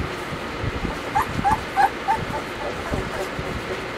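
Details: Four brief, evenly spaced whimpers from Weimaraner puppies Bailey, Hailey and Jenny, each a small rising squeak, set against a constant low hum.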